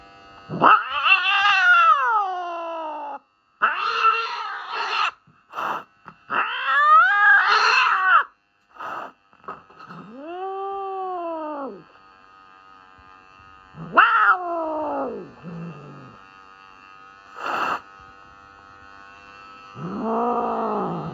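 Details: Norwegian Forest Cat protesting its trim during a vet health check: a rapid string of loud, harsh, strained yowls and cries, some high and screeching, broken by short gaps, ending in slower arching wails.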